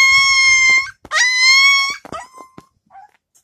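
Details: Husky puppy upset at being kept in a puppy pen: two long, loud, steady whining wails lasting about a second each, followed by a short falling whimper and faint trailing squeaks in a small room.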